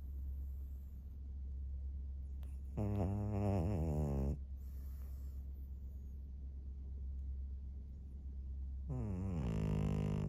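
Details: Senior fawn pug Maria, a 13-year-old female pet in Japan, recorded 3 March 2024, gives two loud, rattling, nasal snores about six seconds apart, each lasting a second or more, with softer breathing and a low background hum between.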